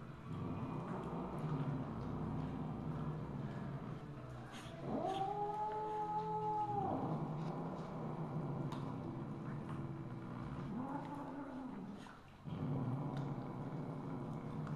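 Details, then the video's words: Misu, a Siamese (Wichienmaat) mother cat, recorded 2 February 2015 at 8:18 PM: one long drawn-out harmonic meow lasting about two seconds, then a shorter, fainter meow later over a steady low room hum. "Misu's Motherly Love วิเชียรมาศ"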